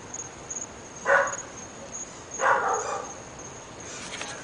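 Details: Three dogs at a house in North Bay Village are said to bark all the time, morning to night. Two clear, coarse barks land about a second and a half apart, against a constant high-pitched insect-like drone.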